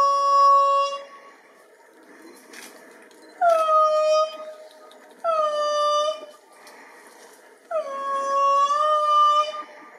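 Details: Indri song: loud, sustained wailing notes, each starting high, dropping, then holding steady. The song carries for kilometres, is given especially in the morning after waking, and serves to mark territory.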